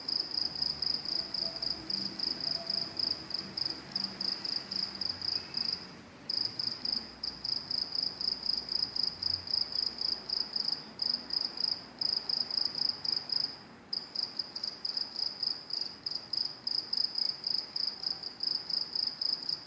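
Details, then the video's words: Continuous shrill chirping of crickets by train tracks, quick pulsed bursts with two short pauses, a soft low murmur in the background. "Crickets making noise at train tracks"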